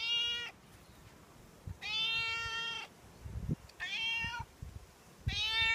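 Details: Outdoor stray cat pleading for milk each morning and evening; four insistent, high harmonic meows in quick succession, roughly one every one and a half seconds, some slightly falling at the end, with light thuds between.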